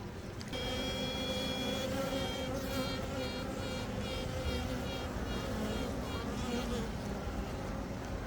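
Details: Freshly emerged queen honey bee piping as an announcement: one long sustained toot lasting over a second, followed by a run of short, evenly spaced pulses, set against a continuous low hive buzz.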